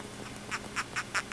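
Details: Captive Ecuadorian hermit crab (Coenobita compressus), freshly molted and held out of its tank to be photographed, chirping because it is bothered. Short raspy chirps repeat about every quarter second and grow louder, over a steady low hum.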